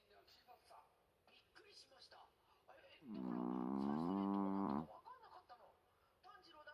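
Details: A dog snoring loudly right beside its owner's ear, with a human-like sound: one drawn-out, voiced, droning snore of about two seconds that swells in and holds steady, framed by soft, quiet breaths indoors.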